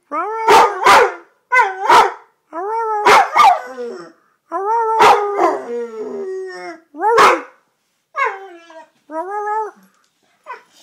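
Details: Pet red-nose pit bull that likes to howl, giving repeated wavering howls mixed with abrupt barks, each howl a sustained harmonic tone that bends downward, spaced by brief pauses.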